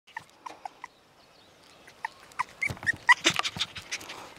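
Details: Male apricot Toy Poodle puppy, 33 days old and about 780 g, from a breeder in Nara, Japan, gives scattered soft high whimpers, then a busier stretch of squeaks mixed with rustling and handling sounds.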